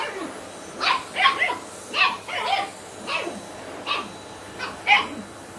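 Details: Sian, a 10-week-old Shetland Sheepdog puppy, indoors meeting a Hoover vacuum cleaner she dislikes; high, sharp puppy barks and yips in quick irregular bursts, some paired, with short gaps between them.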